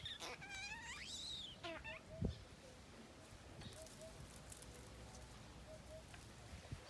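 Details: Tony, a baby monkey, cries in anger over not being nursed: one long shrill wail rising then falling, followed by a few short broken squeals, after which only quiet rumble and soft repeated cooing from a dove remain.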